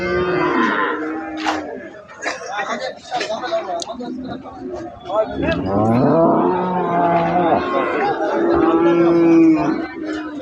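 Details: Holstein Friesian dairy cow, offered as a milking cow giving 15 kilograms of milk, lowing in drawn-out harmonic moos that rise and fall, mixed with a man talking and other voices nearby.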